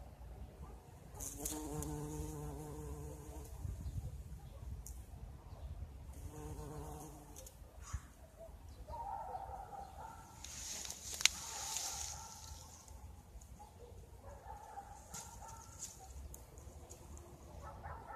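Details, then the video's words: A bumblebee buzzes among blossoming currant bushes in spring: a low, steady, droning hum in two bursts of about three seconds and one and a half seconds, then fainter humming with soft rustles and outdoor ambience. "Bumblebee Buzzing and Currant"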